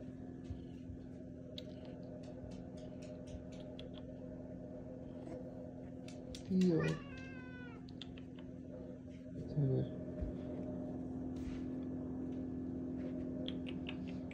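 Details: Theo, a striped house cat, excited indoors, lets out two brief meows about three seconds apart, the first rising then falling. A steady low hum fills the room, with soft clicks and a person nearby.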